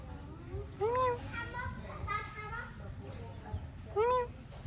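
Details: Rescued baby kitten at its first safe meal lets out two short arched meows about three seconds apart, over voices and low background noise.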